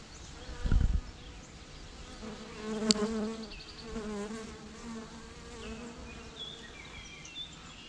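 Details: Bees in a swarm hum steadily at a low pitch, broken by a dull thump near the start and a sharp click a few seconds later, with scattered bird notes.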